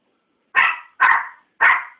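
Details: Chihuahua puppies at play on a Dirty Paws Day, 26 September: three bright, high yapping barks, each short and fading, spaced roughly half a second apart in a quiet room.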